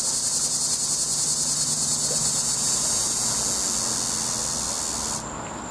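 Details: A cicada in a tree gives a loud, shrill, steady buzz that pulses rapidly, then cuts off abruptly near the end, leaving only a thin faint whine from farther off.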